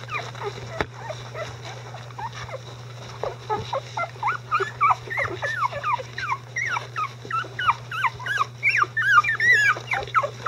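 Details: Icelandic Sheepdog pups at 11 days old, a litter becoming mobile and verbal: quiet start, then a growing run of rapid high whimpers and yelps, each sweeping downward, rising to loud overlapping squeals near the end, over a low hum.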